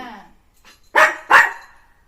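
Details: Pet puppy at morning playtime indoors gives two loud, sharp barks a third of a second apart, after a brief trailing vocal sound, in a quiet small room.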